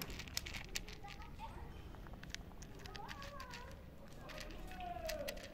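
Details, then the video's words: A street-living stray cat greets the person who feeds it with short tonal meows, rising then falling, coming late in the recording, over nearby human talk, rustling and crackling outdoor noise. "Cat says I miss you so much with its cutest meows"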